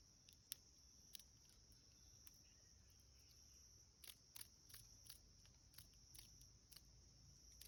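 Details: A cicada caught by a cicada killer wasp in a creek bed, heard while hiking, gives irregular, rasping distress bursts over a steady, high insect whine.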